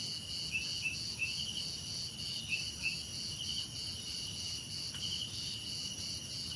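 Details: Crickets with cicadas and other insects in a relaxing nature soundscape: high, steady, pulsing trills layered in bands, with short chirp bursts repeating irregularly over a continuous shrill drone and low background rumble.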